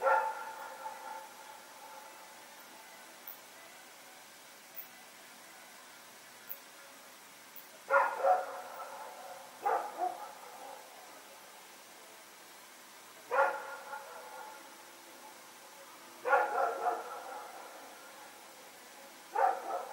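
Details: Rex, a dog, and a companion dog running around barking during the night on 21 September 2018; scattered barks, some in pairs, come at irregular intervals through twenty seconds against faint background noise.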